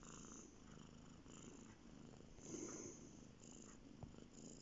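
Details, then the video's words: Bear, a male domestic cat, purring while lying on a bed; a soft, steady low rumble runs throughout with faint rhythmic breathing swells, in a quiet room. "Bear on the bed purring"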